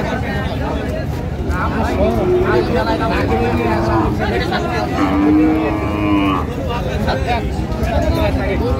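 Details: Thin cows at Ambari haat cattle market, Dinajpur, Bangladesh, on 8 August 2025. A low drawn-out moo swells twice through steady crowd chatter and voices bargaining.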